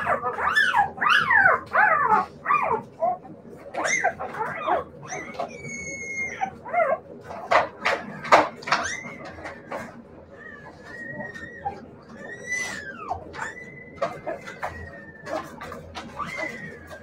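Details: Siberian Husky puppies whining and yipping: arching, whistled whines that rise and fall, some long drawn-out tones, mixed with sharp yips, over a steady low hum.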